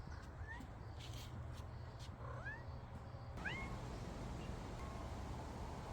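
A domestic cat gives a few thin, rising meows, spaced a second or two apart, over low rumble.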